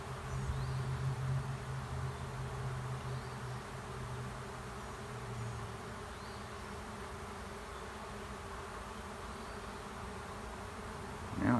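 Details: Many honey bees of a swarm entering an empty hive by a driveway, giving an unbroken humming buzz. A low steady tone runs beneath it for the first six seconds, and a brief louder rustle comes at the close.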